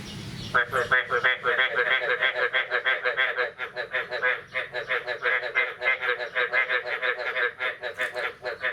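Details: After the first rain of the year, on the morning of 9 May 2022, a chorus of frogs starts up suddenly with loud, buzzy, honking croaks. The croaks pulse about three times a second and overlap densely throughout.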